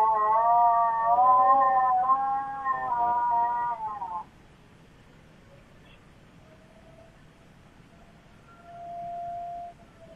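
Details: Chloe, a pet Miniature Schnauzer, howling at tornado sirens: a loud, wavering, quavering howl with rich overtones for about four seconds, then silence, with the steady distant siren tone faintly heard afterward.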